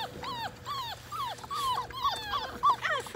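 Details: Six 5-week-old Labrador Retriever puppies in the baby pool where they were born, now filled with water for play; high whimpers and yelps rise then fall, several per second, overlapping from different pups.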